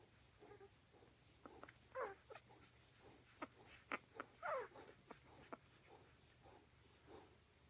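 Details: Bella, a mother dog with her pups: short, thin, squeaky whimpers and yelps in irregular bursts, some rising then falling, a few calls closely spaced, over a quiet low hum.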